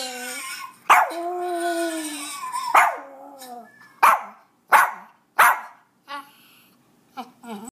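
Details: Indoor pet dog reacting to a recording of a screaming French Bulldog: a drawn-out wavering howl for nearly two seconds, then another howl, followed by sharp barks about every 0.7 seconds and softer whines at the end.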